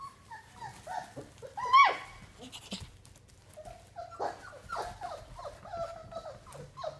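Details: Puppies at play on day 32, giving a busy string of high whines, squeaks and short yips that rise and fall, with one sharp yelp near the two-second mark and softer whimpers continuing to the end.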